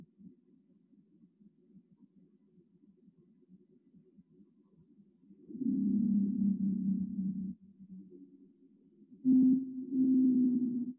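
A blue whale's song: long, steady, deep moaning tones that swell loudly after a soft low hum.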